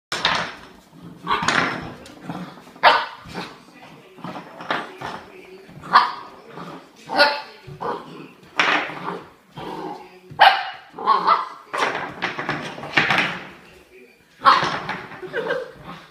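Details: Honey, an eight-week-old Irish Setter puppy, meeting an antler bone for the first time: short, sharp yips and barks come in irregular bursts, some with brief tonal whines, mixed with a human voice in between.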